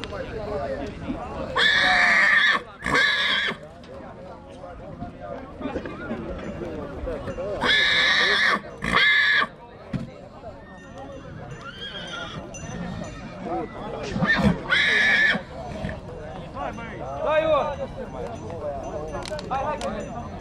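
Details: Young stallion, two years old, from Dăneștii Chioarului in Maramureș, Romania: three loud, rough whinny bursts spaced several seconds apart, each about a second long, over steady nearby conversation.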